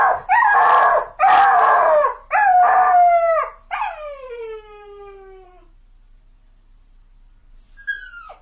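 A dog gives several loud, tonal cries in quick succession, then one long wail that droops steadily in pitch and fades. After a pause, a brief high whimper drops away sharply.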